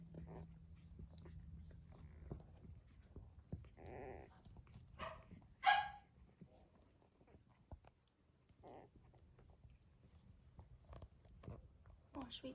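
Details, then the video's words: Five almost four-week-old Blenheim Cavalier King Charles Spaniel puppies play and explore each other, giving small yips and squeaky barks amid low rumbling, purr-like grumbles. "Cavalier Puppies Purr, Bark, and Play"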